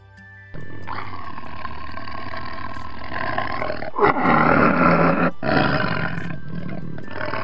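A tiger gives a deep, rasping roar that swells and pulses for several seconds, with steady background music underneath.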